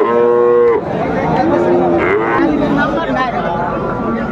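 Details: Friesian and crossbred bull calves at Raniganj market in Dinajpur, 23 December 2024: a short level moo that ends abruptly, then a lower, softer moo, with men talking and market bustle throughout.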